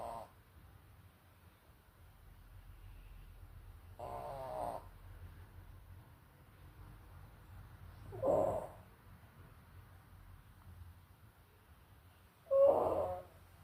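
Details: A dog named Leo snoring: four rough, breathy snores about half a second long, spaced roughly four seconds apart, the last two loudest, with a quiet low rumble between them.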